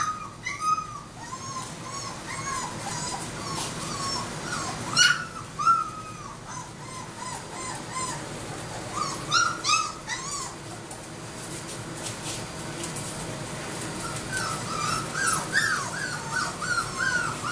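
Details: Young Labrador Retriever puppies in a litter give repeated thin whimpers and squeaky yips, bursts of overlapping cries with brief lulls between.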